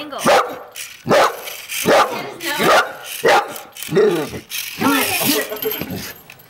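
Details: A male English Bull Terrier tries, unsuccessfully, to attack a toy race car. He gives rough, repeated growling barks in short bursts while a person talks.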